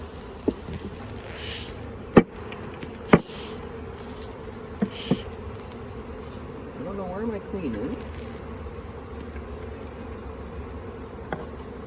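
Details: Western honey bee swarm just captured into a box in May 2022, bees gorged on nectar and honey before leaving. Continuous low buzzing hum with several sharp knocks and clicks of handled equipment and a brief voice.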